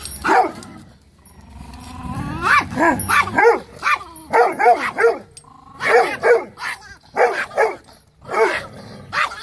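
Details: Fearless female Chihuahua playing the attack dog; rapid high yaps and barks in uneven clusters, one rising whine-like bark early, around fifteen yelps in total, with a nearby voice.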